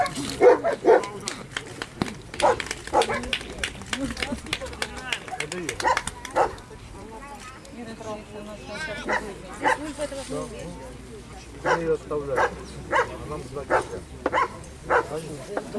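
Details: Holger, a German Shepherd competing in the 2015 Dogs Villages Cup escort dog trial in Ukraine, gives sharp, separate barks every second or two, with pauses between runs. People talk underneath.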